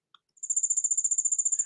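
A cricket's pure-toned trill, a rapid, even pulsing of high notes held steadily like a continuous ring.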